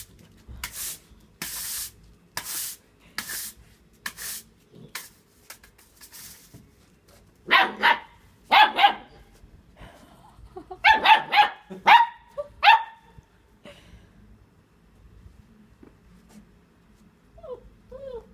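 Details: Eight-week-old German shepherd puppy at play with a broom in a garden. Rapid scraping sweeps open the recording, then a cluster of short, tonal yapping barks arrives in quick bursts, followed by quieter whimpering squeaks.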